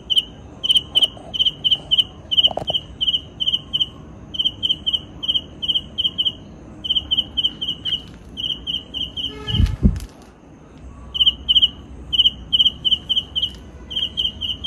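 A cicada calls at night with high, clear pulses run together in quick bursts of a second or two, separated by brief gaps. A single low thump interrupts the steady pulsing midway.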